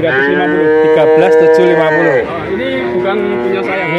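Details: Young male calves in Grabag, Magelang, one of 19 bought at once: a loud, sustained moo holding steady for about two seconds before sliding down, then a lower drawn-out call, with faint voices behind.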